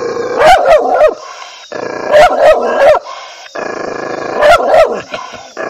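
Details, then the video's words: Angry dog barking loudly: sharp barks in clusters of two or three, repeating roughly every two seconds, with a steady rumbling growl filling the gaps between bursts. "angry dog barking"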